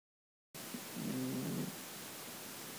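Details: A sleeping Russian Blue cat snores gently once, a low, soft, rumbling rasp lasting under a second.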